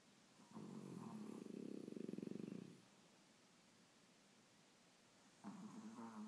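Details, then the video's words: Two rescued dogs, a French Bulldog and a Brussels Griffon, snoring as if competing: a long rough, pulsing snore of about two seconds, a quiet pause, then another harsh nasal snore starting near the end. "Duelling snores"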